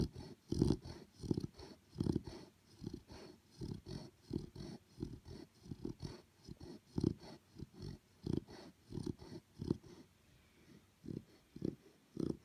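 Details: Chow Chow puppy snoring in its sleep, quieter and more distant: a long run of soft, breathy low snores in uneven rhythm, some stronger than others, over faint room hiss.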